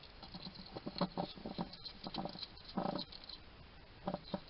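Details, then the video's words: Garden hedgehog in Somerset, UK, eating at a feeding station and chatting to itself: dense, rapid crunching and snuffly clicks in uneven bursts, the loudest cluster near the end, nearly continuous throughout. "Ever wonder what a hedgehog sounds like? This little guy chatting to himself while he eats."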